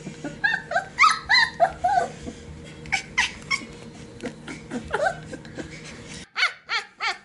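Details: Sheepadoodle puppies in their pen, a one-puppy litter raised alongside two pups from another litter, giving high-pitched yips and whines in irregular bursts, several sharp squeaky notes close together, then a short pause and a few more yelps.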